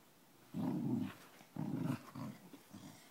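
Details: Dog growling while playing, low rumbling growls in three or four bursts, each under a second long, with short quiet gaps between them indoors.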